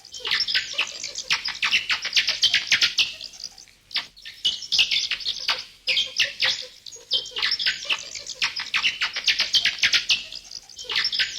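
Bats give dense bursts of high, squeaky chattering calls, broken by brief pauses.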